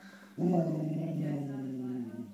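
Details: Springer spaniel Tara playing with food indoors, giving one steady low growl lasting about two seconds, harmonic and grumbling, holding an even pitch before fading; a faint electrical hum runs beneath.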